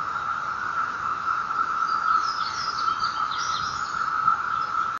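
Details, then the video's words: Periodical 17-year cicadas (Magicicada) singing in Madison, North Carolina on 16 May 2013: a steady, droning whine in chorus that holds one pitch without a break. "Audio recording of 17 year cicadas aka Magicicada"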